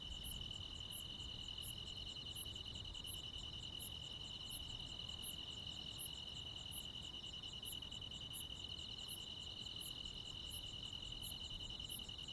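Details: Midsummer night in the countryside with crickets and other insects calling, an even shrill trill continuing without pause, punctuated by evenly spaced, very high chirps and a soft low background murmur.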